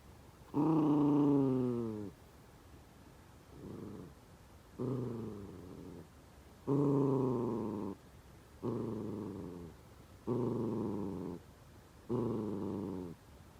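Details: Senior Miniature Dachshund working hard at snack time to get dried sweet potato out of a Kong toy. It gives seven drawn-out, moaning whine-growls, each about a second long, spaced roughly every one and a half to two seconds.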